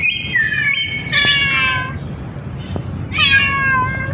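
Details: Cats and kittens on a playful outing; two drawn-out, high meows, the first bending down in pitch and the second sliding downward, with a faint low background hum.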